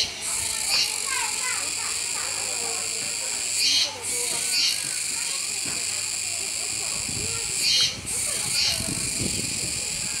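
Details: Kuroiwa cicadas at Neo Park Okinawa on 16 October 2021 give a dense, steady, high shimmering buzz that dips and swells about every four seconds, while a capybara keeps eating beneath with low chewing sounds and faint voices.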